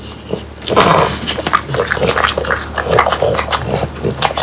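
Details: A French Bulldog eats a dried whole quail with bones, each bite giving a sharp, dry crunch followed by wet chewing and smacking. The bites come in quick irregular bursts, with a faint low grumble now and then.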